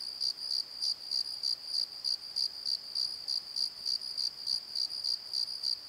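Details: Crickets chirping after dark in a valley bottom: piercing, evenly spaced pulsed chirps about three per second riding on an unbroken high-pitched drone.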